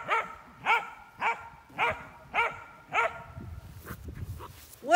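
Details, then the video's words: Pups on an Irish farm in County Kilkenny barking during outdoor play in August: a steady run of six loud barks roughly every half second, then fainter barks and yelps over rustling, ending with one loud bark. "[Music] hmm um what are you barking at you noisy pups you all"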